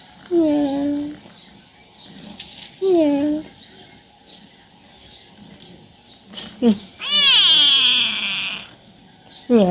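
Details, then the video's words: Chatty house cat, male, asking his owner for playtime indoors: a series of meows, two short falling ones a few seconds apart, then a loud, long wavering cry and a final clipped meow. "Talkative cat wants his owner to play with him."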